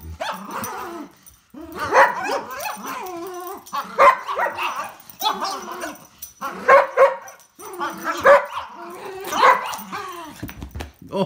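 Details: Poodle in a tug-of-war game, growling and barking steadily in rough, harmonic-rich bursts roughly every one to two seconds.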